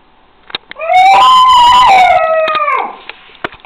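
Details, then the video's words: Josiah, a wolfdog pup aged six weeks, lets out one loud, clear howl lasting about two seconds, rising quickly then holding steady before dropping away, with a few soft taps before and after. "Wolfdog pup howling"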